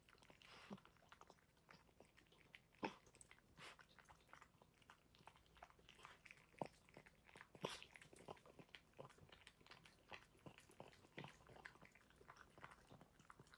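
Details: Dog eating food: dense, uneven crunching and biting clicks as kibble is chewed, some crisp louder bites standing out from a soft, steady background.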